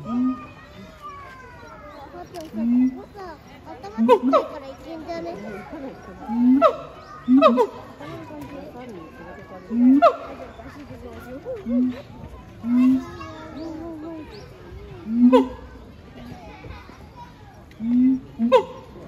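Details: A pair of siamangs sing a duet at Chiba Zoological Park, Japan, on 12 November 2022. Low, resonant booms repeat every two to three seconds, each followed by sharp barks and climbing, wavering whoops, with faint human voices murmuring.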